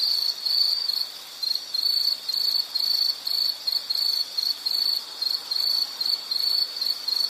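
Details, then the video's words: Insect calling with a high, thin, pulsed trill broken into short bursts of roughly half a second, separated by brief uneven gaps, about fourteen bursts in seven seconds. The steady hiss of a quiet natural background sits beneath it. "Sound · Nature Sound of nature sounds scenery L · insect"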